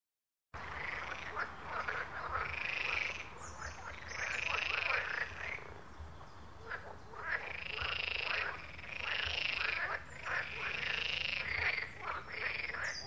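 A pond chorus of frogs, with dense, rattling croaks swelling and fading in repeated bursts.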